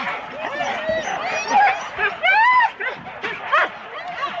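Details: Husky teams of four dogs at a sled race start in Rendlesham, January 2016, taped on analogue cassette: many overlapping high, arching yelps and whining yips rising and falling in bursts, with sharp barks near the end and murmuring voices beneath.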